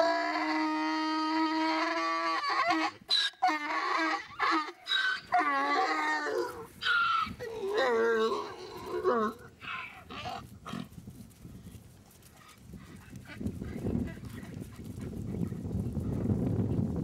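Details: Donkey braying in reply to another donkey heard in the distance: a long, loud, harmonic honk, then see-sawing hee-haw notes for about ten seconds, tailing off into breathy wheezes, followed by rustling and rumbling noise.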